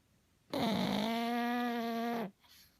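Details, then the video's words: A pug snores in its sleep, giving one steady, humming, nasal snore with a rich, buzzy tone that lasts nearly two seconds before it cuts off, in a quiet indoor room. "Pug snores"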